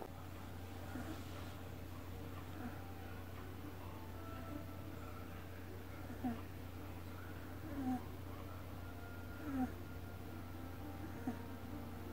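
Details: Deokbae, a pet cat, sleeping indoors: a soft, low, steady rumbling purr or snore with gentle breath pulses about every second and a half, over a faint constant background hum.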